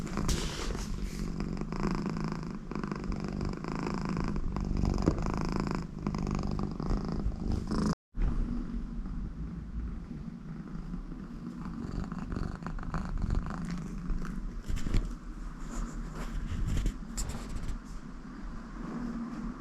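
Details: Contented American Shorthair cat Connie purring beside her owner, a continuous low rhythmic rumble with a brief break near eight seconds, joined by snore-like breaths through the nose.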